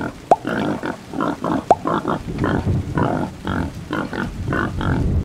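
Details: Pig grunting continuously in overlapping low bursts, with two sharp squeaks near the start and a dense, murmuring texture throughout.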